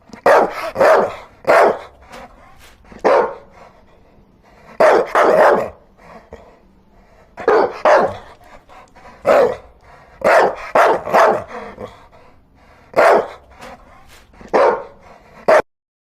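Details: Dogs barking steadily indoors: bursts of two or three sharp barks repeated about every one to two seconds for roughly fifteen seconds, with quiet gaps between.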